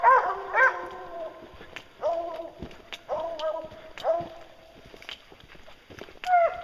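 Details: Hounds on a bear hunt, the bear treed by dogs named Lucy, Ricky and Canny; harmonic barking bays come in irregular bursts, some arching upward, with quieter gaps between them and faint outdoor background noise.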